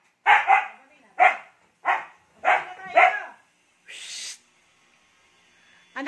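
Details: Siberian Husky Ice, still hyper after its bath, barks five times in quick succession, each bark a short rasping burst about half a second apart, followed by a brief hiss of noise and quiet.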